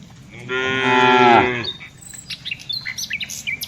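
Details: During afternoon herding, a tame cow gives a single rich moo of about a second, and scattered high bird chirps follow over faint background noise.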